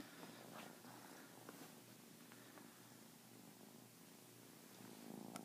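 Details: Domestic kitten purring while attacking a blanket with a hand moving under it: a low, steady, rumbling purr runs through the whole stretch, with soft rustling of fabric and a few light scratches.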